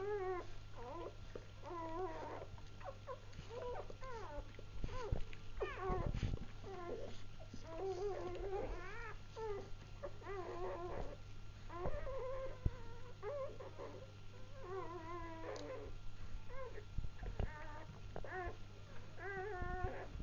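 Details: Freshly born Labrador Retriever pups crying together in a steady chorus of wavering, rising-and-falling squeaks, many voices overlapping, over a constant low hum and some handling noise.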